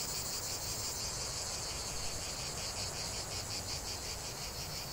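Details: Chorus of singing cicadas: sharp high buzzing that pulses quickly and continuously, steady in loudness, over a dull low background murmur.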